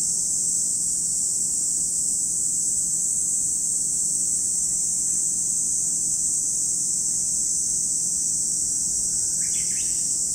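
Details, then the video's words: Cicadas at Lake Kamo in Sado City, Niigata Prefecture, Japan: a steady, shrill, unbroken high drone fills the whole recording, with a brief burst of bird chirps near the end. "Lake Kamo in Sado City, Niigata Prefecture, Japan, where you can hear the voice of cicadas."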